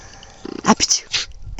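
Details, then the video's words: Brindle Mountain Cur dog, male, recorded in March 2010, sneezing and vocalising to tell his owner what he wants: a short voiced grunt followed by several sharp, breathy sneeze bursts in quick succession, with a person talking nearby. "Tiger Talking to me and Sneezing"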